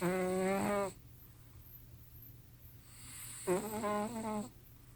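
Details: Sleeping cats Simba and Prissy snoring loudly. Two whistly, nasal snores rise and fall in tone, each lasting about a second, with near silence between them.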